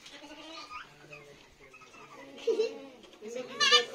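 Goats bleat in nasal, wavering cries, with a loud bleat near the end and voices in the background.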